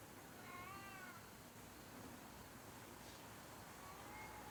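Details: A friendly stray cat eating weeds gives a soft, wavering meow early on, then a fainter second meow near the end, over quiet outdoor background noise.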